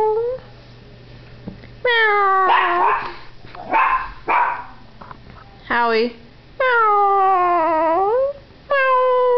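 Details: A young Yorkshire Terrier howling for the first time, set off by a person's meowing; drawn-out tonal howls that rise then sag and rise again, alternating with human meow imitations, indoors.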